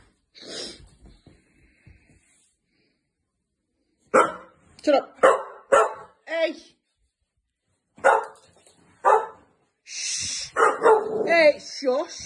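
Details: Two Staffordshire Bull Terrier puppy sisters at home give bursts of sharp barks, some rising into whiny yelps. An owner talks over them, hushing them and telling them that's enough.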